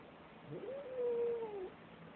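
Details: Sissy, a pet cat, unhappy about another cat in her yard, gives one drawn-out complaining meow lasting about a second: it rises, holds a steady tone, then slides down, over a soft background hiss.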